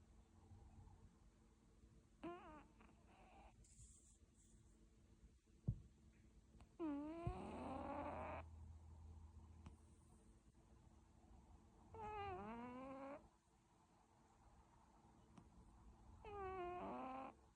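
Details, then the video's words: British Shorthair cats snoring in their sleep: wheezy, whistling breaths with sweeping tones that dip and rise, recurring roughly every four to five seconds, with a faint steady hum and a few soft clicks between. "Katzen schnarchen"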